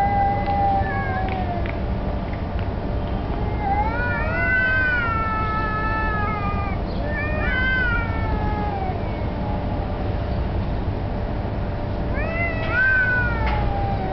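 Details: Street cats confronting each other outdoors, possibly challenging over territory or mating: drawn-out wavering yowls that rise and fall in pitch, several long harmonic howls in succession with pauses between, over a steady low rumble of background noise.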